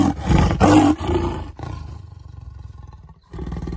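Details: Leopard caught in a baited forest-department cage trap at the 7th milestone of the Tirumala Tirupati footpath in the Seshachalam hills, the fourth caught; a loud harsh roar for over a second, then a low rhythmic rasping growl, then another loud burst.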